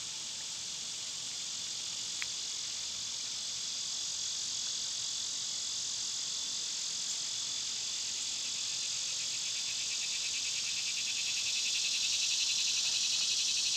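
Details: Summer cicada chorus, an intense high rasping buzz that runs continuously and swells louder toward the end, with one brief tap early on.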